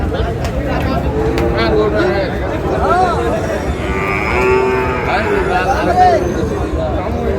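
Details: Friesian and crossbreed bull calves at the Ambari cattle market in Dinajpur, Bangladesh, on 24 August: several short, wavering moos, some rising and falling, over a steady market hubbub of murmuring voices.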